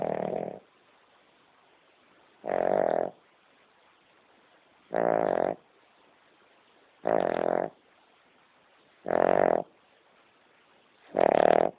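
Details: Loud snoring from a sleeping pet King Charles Spaniel, a female dog deep asleep; rough, buzzy snores repeat roughly every two to two and a half seconds, separated by near silence.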